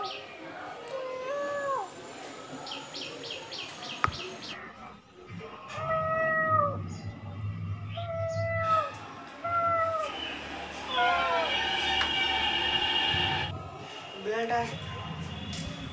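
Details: Kittens, brothers, indoors in a full house while their mother sunbathes outside; several short arched meows, some rising then falling, scattered through the recording among household noise, low hum and faint voices.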